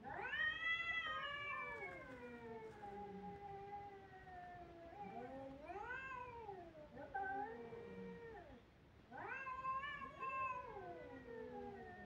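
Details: Kittens crying with loud, drawn-out caterwauling meows, each starting high and sliding down over a second or two, four or five wails separated by short pauses.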